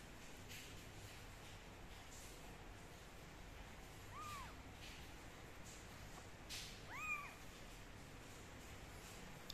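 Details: Two brief arched meows, about three seconds apart, come from a kitten being toweled and blow-dried with a gentle hair dryer, over continuous low whooshing noise and a few soft clicks.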